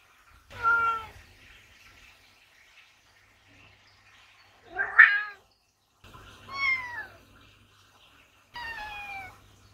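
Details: Two talkative Ragdoll cats give four drawn-out, arching meows, spaced unevenly over about ten seconds, asking for the barn door to be opened; pond sounds in the background.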